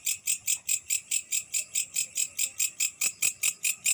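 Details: Night-time grasshopper call: sharp, shimmering high pulses repeating about four times per second in an even rhythm, with a few faint clicks near the end.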